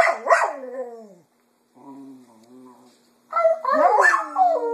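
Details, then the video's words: A female Cocker Spaniel sings in the afternoon, mimicking her owners' voices with drawn-out, wavering howls that slide up and down in pitch. "Jojo the Cocker Spaniel Sings in the Afternoon"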